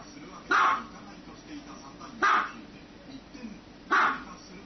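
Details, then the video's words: A dog barks in three short, punchy bursts at an even pace of about one every one and a half seconds. "Dogs barking"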